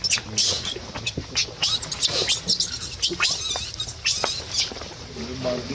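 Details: Crying baby monkey giving rapid, piercing high-pitched squeals and screeches, many short bursts packed closely together, with faint low voices in the background.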